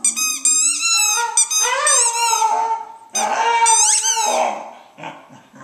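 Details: Dog singing to her squeaky ball in a small room, rising and falling sustained howls mixed with piercing, bending squeaks from the toy, fading toward the end.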